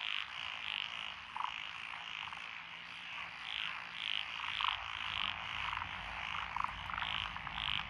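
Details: Evening-quiet lotus paddies in Echizen, Fukui, Japan, June 2021, alive with tree frogs, pond frogs, wrinkled frogs and green tree frogs. High, short croaks pop out repeatedly over a continuous background chorus, roughly one to two per second.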